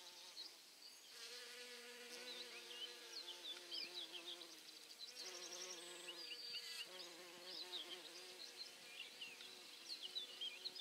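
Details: Bumblebees foraging on St John's wort flowers: a low, droning buzz that rises and falls in pitch as they come and go.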